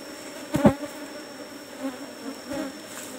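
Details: Kept Asian honey bees, Apis cerana, buzzing in hive box number 17 at honey harvest time; a low continuous hum interrupted by two sharp handling clicks early on and a high steady background whine.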